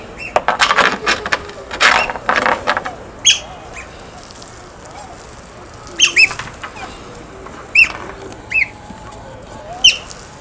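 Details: Short, high, bending chirps from playful otters handling stones, several spaced a second or two apart, after an opening cluster of broadband rattling knocks.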